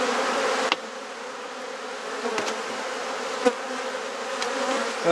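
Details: Hive of honey bees in a Perth, Australia garden, opened for inspection and frame swapping; continuous low droning buzz of many bees with a few brief clicks from the beekeeper's tools.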